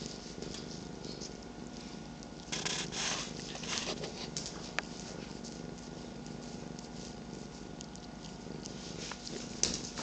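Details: Two domestic cats, aged 13 years and 8 months, purring in a morning rumble while a third cat sits on a lap: an even, unbroken purr with brief rustling swells.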